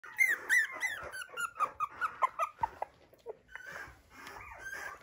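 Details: Poodle at a breeder's home in Okayama, Japan, giving a run of high squeaky whines and yelps, about two or three a second, rising and falling, then softer, longer whimpers; small indoor room.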